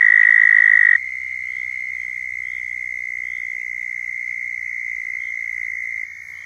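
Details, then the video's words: Mating call of southern toads in Florida, a continuous high-pitched buzzing trill. It is loud for the first second, then a second, softer trill carries on steadily for about five seconds before dropping lower in volume. "Southern Toads Calling in Florida"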